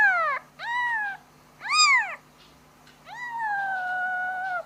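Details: A young kitten calling its mother gives four plaintive meows: short arched cries followed by a long, level, drawn-out wail at the end, with a quiet background.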